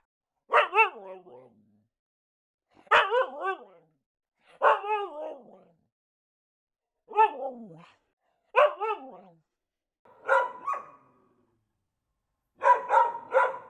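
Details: Dogs barking in a quiet setting: seven separate bursts spaced about two seconds apart, each a sharp, harmonic bark falling into a short whining tail, the last ones rougher and more clustered.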